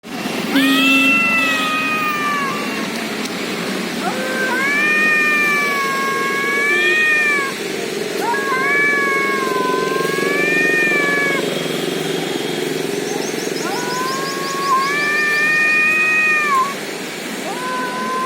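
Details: Cats fighting in India, long drawn-out yowling caterwauls with wavering, harmonic-rich tones, each howl lasting two to three seconds and repeated about four times with short pauses, over a faint background hum.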